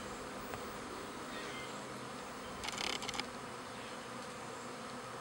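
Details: Honey bees kept in a backyard hive in spring, half the colony with a new queen moving to a new home; a dense, steady buzzing hum fills the air, with a brief burst of brighter rustling near the middle.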